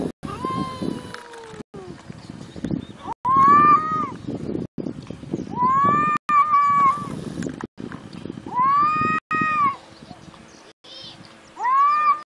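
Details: Cat meowing in a series of loud, drawn-out, arching meows, each rising then falling, repeated roughly every two to three seconds with short pauses between, over a faint background hiss.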